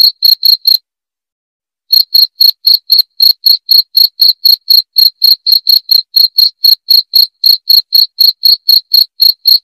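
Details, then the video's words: Cricket chirps played to chase off rats. A few quick high chirps, then a one-second pause, then a steady run of crisp chirps at about four per second, with no other sounds. "SUARA JANGKRIK PENGUSIR TIKUS"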